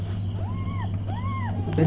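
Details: Two arched meows from a mother cat with newborn kittens. Each meow rises and falls, the second slightly stronger. They come about half a second apart over a constant low mechanical hum, and a brief louder noise follows.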